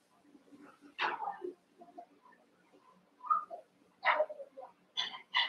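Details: One-month-old Cavalier King Charles Spaniel puppies wrestle and play together in an indoor pen of eight pups; scattered short high yips and squeaky barks burst out every second or so over quiet rustling.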